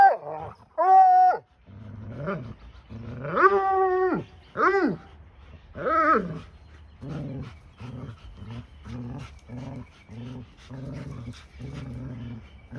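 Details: A 4-year-old Bluetick Coonhound bays while tugging a rope, still holding it in his mouth, during tug-of-war with a 2-year-old Labrador-Husky mix. Four loud, drawn-out, falling howls are followed by a run of low, rhythmic growls.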